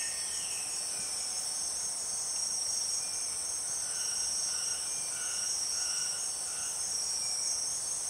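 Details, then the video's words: Borneo rainforest with empress cicadas: a constant shrill, ringing high drone fills the air, while softer mid-pitched tones pulse in a short regular series about every half second in the background. "The weird sound of empress cicadas"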